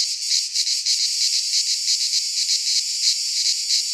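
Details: Cicadas in a Greek pine forest during midsummer give a loud, hissing, continuous buzz with regular pulsing beats; a clean recording without other animals or wind.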